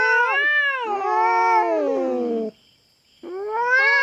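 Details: Intruding feral cat on a Philippine farm, threatening a black cat over territory; sustained harmonic yowl sliding downward for two seconds, a brief silence, then a fresh rising wail.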